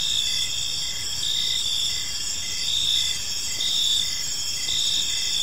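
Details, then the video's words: Crickets chirping during evening in a park, a bright layered insect chorus with a steady high buzz and regular lower chirps, volume rising and dipping slightly. "Cricket Sounds in a Peaceful Park"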